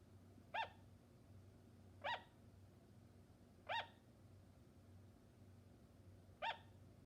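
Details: Sugar glider barking in a steady series: four short, ringing yaps at fairly even intervals of about one and a half to three seconds, over a faint low hum.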